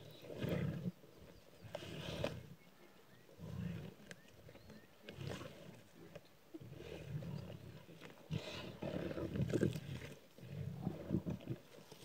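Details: A pride of six lions on Kwandwe Private Game Reserve, Eastern Cape, South Africa, feeding on a warthog they killed in the morning, recorded by phone; deep rumbling growls and snarls come in repeated bursts, with quieter gaps between.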